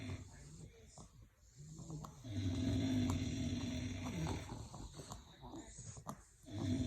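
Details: English bulldogs snoring: low, rumbling, throaty snores with a harmonic drone, loudest in the middle stretch, then softer breathing and rustling at a quiet, close level.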